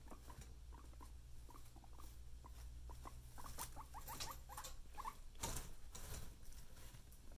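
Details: Happy pet guinea pigs making a run of short, quick rising chirps and squeaks, several per second, over low rumbling background noise and some bursts of rustling.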